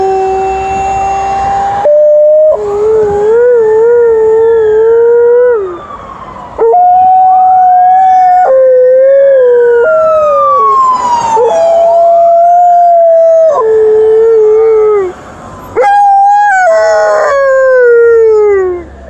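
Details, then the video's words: An Alaskan Malamute answers a passing ambulance siren on an emergency run with long, wavering howls that rise and fall. "Alaskan Malamute is howling to the ambulance"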